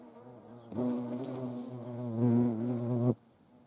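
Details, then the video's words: Hornet filmed during hand feeding in the Eifel region, giving a steady low droning buzz that starts abruptly, holds for about two and a half seconds with a slight swell, then cuts off. "Hornissen vor der Kamera. Handfütterung"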